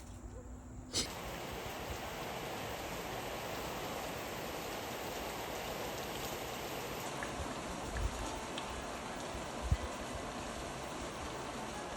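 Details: A steady, soft hiss like rain or flowing water fills the whole stretch, with a few faint taps.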